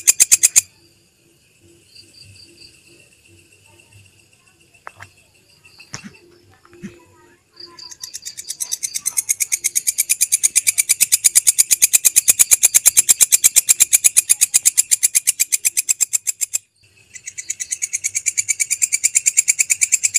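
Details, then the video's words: Belalang kecek grasshopper in a masteran recording for tutoring caged songbirds: a brief burst of rapid high ticking, a quiet stretch with faint scattered chirps, then long runs of dense, rapid, sizzling pulses broken by a short pause. "MASTERAN SUARA BELALANG KECEK, Jernih Panjang"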